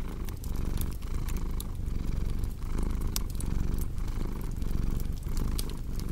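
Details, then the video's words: Purring house cat: a deep, rolling rumble rising and falling with each breath, about once a second, with scattered bright pops from a crackling fire in the background. "Purring Cat with Cozy Crackling Fireplace Sound"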